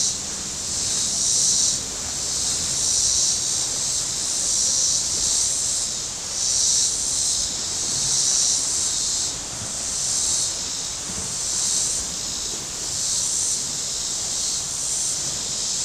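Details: Cicadas calling from the shore of Table Rock Lake in southern Missouri on a very warm Saturday: a loud, steady high buzzing that swells and fades in waves about every one and a half seconds, with faint low boat rumble beneath.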